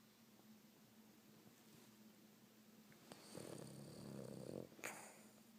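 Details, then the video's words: Boston Terrier snoring, a long rough rattling snore building from about 3.3 to 4.7 seconds, followed by a sharp snort, over a constant low hum. "Snoring Boston Terrier"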